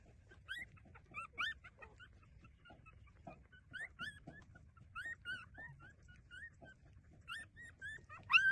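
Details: Puppies feeding at their mother give short, thin squeaks and whimpers in loose clusters, faint and spaced out, ending with a louder sharp yelp; quiet low rumble beneath.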